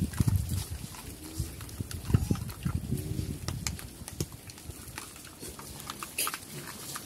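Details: Farm pigs in Cambodia, known locally as Chrouk Kandorl, active and moving about: deep, low grunts that are loudest at the start and then fade into softer snuffling, with scattered clicks and rustling.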